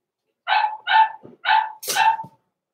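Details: Four sharp, high-pitched barks in quick succession come from blenheim Cavalier King Charles Spaniel puppies, born November 14, 2022, in an indoor pen at Christmas; the last bark is the harshest, with a faint rustle between them.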